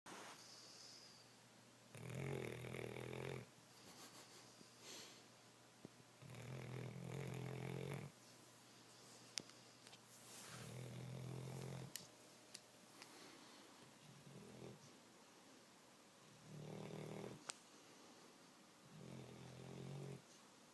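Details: Zurich, a pet dog asleep on the couch, snoring: rasping, low, buzzy snores about every four to five seconds, each lasting roughly a second, with quiet breathing and faint clicks between them.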